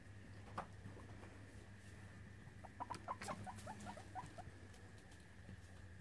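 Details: Guinea pigs at a rescue sanctuary in Brisbane, Australia, during an evening check as hay is offered: a quick run of short, soft chirping squeaks clustered mid-clip over a steady low hum and faint tone.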